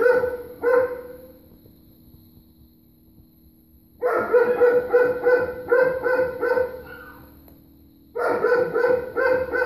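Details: Neighbours' dogs still barking at 3:45 pm on November 23rd: two sharp barks open, then after a lull a rapid run of loud barks about three per second from four to eight seconds, resuming at the end, over a steady high-pitched hum.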